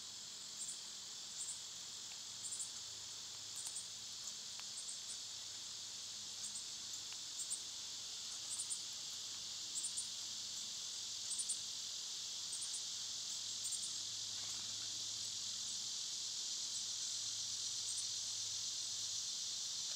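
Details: Summer cicadas, loud this time of year, with other summer insects, in a steady high, hissing buzz that runs unbroken throughout, overlaid by quick, evenly repeated chirping pulses about four per second, with a faint low hum beneath.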